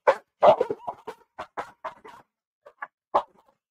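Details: A female Tibetan Mastiff barks loudly in rapid, uneven bursts, a strong opening pair followed by several shorter, softer barks. She barks this way at dogs and other animals that approach her home.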